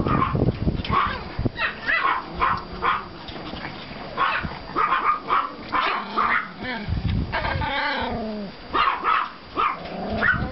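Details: Pomeranian and klein spitz puppies from two litters on a yard walk after snowfall, 5 April 2014, yapping in quick overlapping high barks, with a drawn-out whining yelp near the end.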